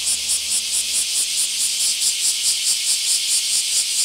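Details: Bear cicadas in a mass emergence at a park in Akashi, Japan: a loud, dense, harsh high-pitched buzzing chorus that pulses steadily about twice per second, with no other clear sounds.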